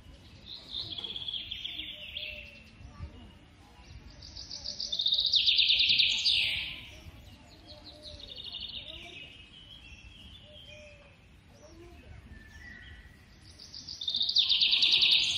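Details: Young squirrel calling while being fed: bursts of shrill, rapid chirping squeaks come in loud waves every few seconds, with quieter trilling between them and a low background hum.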